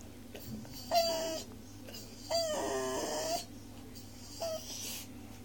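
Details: Miniature Schnauzer puppy kept as a pet, begging for broccoli at dinner, gives three whining howls, the middle one longest at about a second, over steady indoor hum and background noise.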